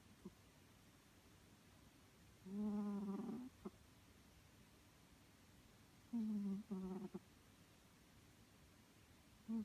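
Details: Snores from Maru, a three-year-old male Scottish Fold cat, asleep: two low, resonant snores about a second long, each ending in a brief catch, with faint quieter breaths between.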